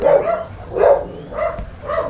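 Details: Six-month-old male Bakharwal (Gaddi) puppy, a guarding breed, giving a series of four short, mid-pitched barks spaced about half a second apart, each a rough burst with no other sounds.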